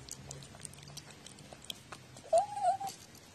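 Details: Pet cat known for seeming to talk, recorded 14 October 2017; a single brief, steady meow near the end after quiet room noise and a low hum.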